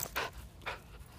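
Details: Shetland Sheepdog running back after a stay exercise, panting: two short, breathy, broadband bursts of breath about half a second apart, with no other sounds.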